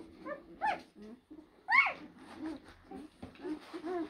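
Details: Great Dane puppies, blue, from two litters born in April 2023, kept at a breeding kennel. Short high whimpers and squeaks in quick bursts, one louder rising-falling yelp in the middle, with softer whines and shuffling between.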